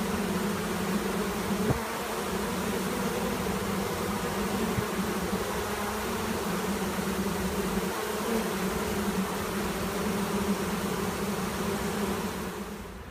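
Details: Honey bee swarm at a monastery apiary: a dense, steady droning hum with a low tonal band, continuous throughout, without clear other sounds.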